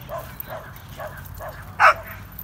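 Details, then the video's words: Dogs at play, a Corgi named Nessi and a Chihuahua mix named Miles: soft, quick barks repeat about twice a second, then one sharp, louder yip near the end, over a low background hum. "Corgi And Chihuahua Mix Playing"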